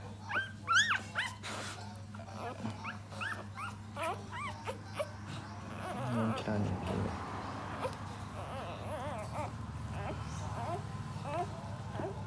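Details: Puppies, four of them, nursing on their mother dog as she feeds and cleans them; high arched whimpers and squeals in a quick burst early on, then sparse fainter cries over a steady low hum.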